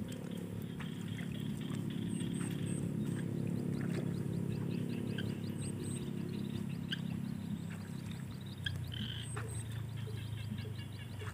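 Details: Frogs calling in the evening beside rice fields during a live stream: rapid, repeated ticking pulses over a steady low rumble, with brief high chirps and faint background hum throughout.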